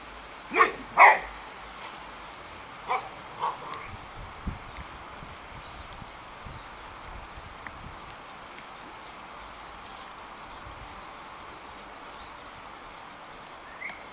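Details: Boxer dog Rex at play, refusing to let go of the ball in his mouth while a bucket chases him: two loud, sharp barks close together at the start, then a few softer, scattered barks and yips fading into a quiet background.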